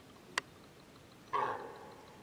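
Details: A deer hind calls to her lost calf after wild boar separated the pair; a sharp click comes first, then one drawn-out, harsh, nasal call that fades over half a second.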